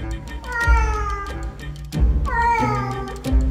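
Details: Female street cat that has visited a house for two months, crying at the homeowner's door until it opens, in cold winter. Two drawn-out, falling, harmonic meows about a second apart, over soft background music.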